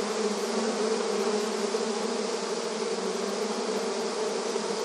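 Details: Honey bees swarming in front of their hive at the entrance, rural surroundings; a continuous, even drone of countless wings, low and full with bright overtones, no breaks or other sounds.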